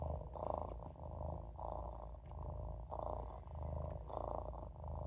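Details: Deep purring from Olof, a Maine Coon kitten napping in a sink, each breath bringing a fuller, louder rumble roughly every second and a half.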